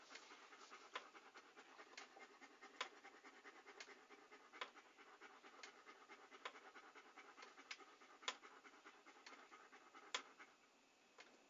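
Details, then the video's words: Steady, quiet panting from a dog, recorded as calming relaxation sound: soft airy puffs repeating loosely about every two seconds, with occasional crisp clicks over a low hiss. "A Panting Dog ASMR"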